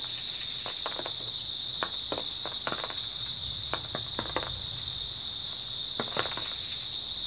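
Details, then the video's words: Night chorus of grass insects in early autumn, an even, shrill ringing trill that never pauses, with scattered sharp crackles and taps, some in quick clusters. "초가을 밤부터 새벽까지 백색소음 풀벌레 소리"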